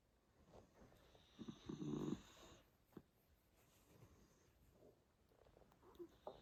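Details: Miniature dachshund snoring softly: a brief breathy, rasping burst near two seconds, then faint irregular breaths with small snuffles scattered through the quiet remainder.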